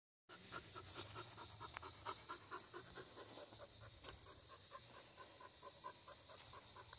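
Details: Dog panting, one of the pet dogs Mili and Nestor, recorded among nature sounds outdoors; quick rhythmic breathy pulses, a little over two per second, over a steady high-pitched buzzing drone, with an occasional sharp click.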